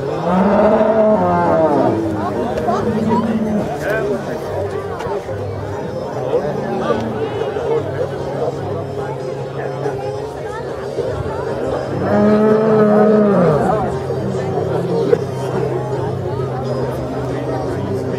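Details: Holstein cows brought into the judging ring at the Viehschau Zürcher Unterland cattle show, Switzerland, 26 April 2014; a drawn-out harmonic moo near the start and another around twelve seconds, over steady crowd chatter and a low hum.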